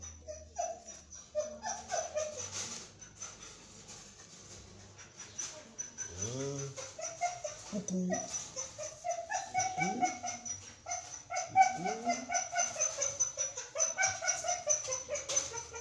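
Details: Belgian Malinois puppies aged 23 days whimper in scattered high cries, then a low human voice cuts in, followed by a dense, fast string of thin, repeated whines toward the end.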